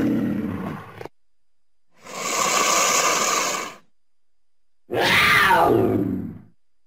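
A cougar gives three harsh, raspy roars, each a second or two long, separated by silence.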